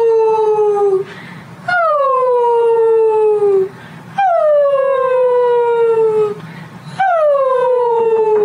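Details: Siberian Husky, a female, reacting to funny husky videos with a series of four drawn-out howls, each beginning on a higher note and gliding steadily down, lasting roughly two seconds, repeated after short pauses with faint background sound between.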